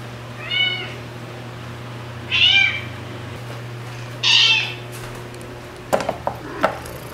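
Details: Margaret, a white rescue cat with orange markings on her head and tail, six months after her rescue; three harmonic meows, each rising and falling and about a second apart, then faint clicks and taps over a steady indoor hum.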